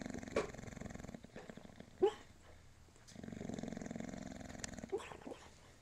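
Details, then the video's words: Moses, a bulldog, dreaming in his sleep, apparently of orange road cones; low snoring rumble broken by short muffled yips at about half a second, two seconds and five seconds. "Dreaming Bulldog"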